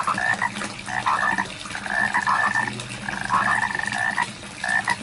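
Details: Many frogs croaking in rice fields, brief rattling calls repeated in quick bursts roughly every second over a noisy background.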